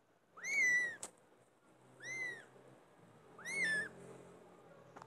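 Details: Loud cat meows: three clear arched, whining calls that rise and fall in pitch, roughly one every one and a half seconds, with a soft low hum and faint clicks between them.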